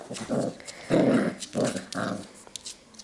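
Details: Labrador Retriever puppies getting used to an indoor kennel on 8 June 2015. Several short, strained whining yelps come in four bursts over three seconds inside a small room, with a faint murmur between them.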